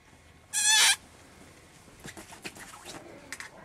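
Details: Puppies Stella and Maja: a single high, bright whine lasting about half a second, rich in overtones, followed by faint scattered clicks and patter from the litter in a quiet room.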